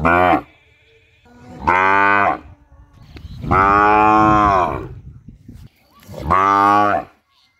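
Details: Cow mooing loudly, four drawn-out harmonic moos with short gaps, each lasting under a second to about two seconds, the longest in the middle; faint hum between calls.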